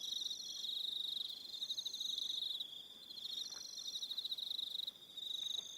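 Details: Evening crickets on New Zealand's Aroha Island: a bright, unbroken high trill beneath alternating pulsed chirp phrases from several insects, rising and falling in intensity over a few seconds.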